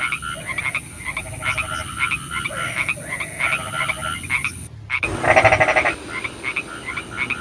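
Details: Night chorus of frogs in rain, several callers overlapping with short pulsed croaks and trills in rapid series, a brief cut near the middle, followed by a louder bout of fast rhythmic croaking.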